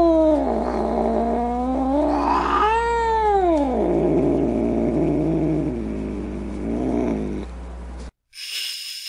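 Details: Upset domestic cat snarling in a continuous wavering yowl that climbs into a bright arched wail, then drops into a rough low growl. It cuts off abruptly, followed by a brief burst of breathy noise.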